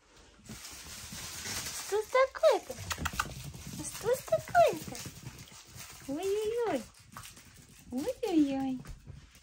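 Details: Mini Chihuahua puppies, chocolate and black, from a breeder club family in the Moscow region, giving high, clear whines that arch up and fall back, in about four bursts across nine seconds over low indoor rumble and faint talk.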